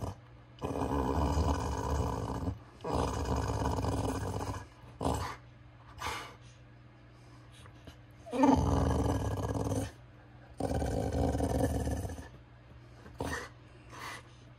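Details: A pet dog gives its "let's get going" sound, a Chewbacca-like groaning growl: five long throaty rumbles of about two seconds each, separated by short breaths, with quiet sniffing between.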